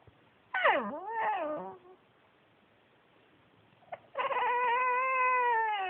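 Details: Yuyu the Pekingese, a male adopted from a shelter, talks in a swooping whine that falls, then rises and trails off, followed after a pause by a long, sustained, slightly rising whine-like moan.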